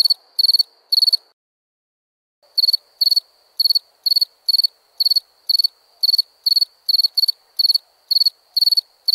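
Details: Nighttime cricket chirping: bright, high-pitched pulsed chirps, each of four or five rapid pulses, with a brief silent pause near the start, then steady chirps roughly twice a second.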